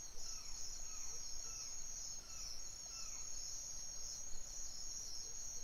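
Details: Nighttime crickets sustain a steady shrill trill; faint falling whistled notes recur about every second beneath it.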